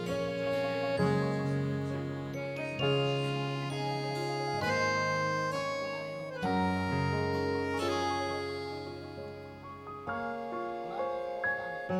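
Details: A gentle reedy melody, harmonica or accordion-like, with sustained chords and tinkling notes, and no animal voice heard.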